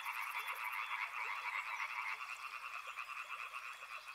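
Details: Chorusing frogs near a river, their croaks pulsing in a rapid, slightly uneven throb, about two beats a second, with a brief run of high, quick clicks at the very start.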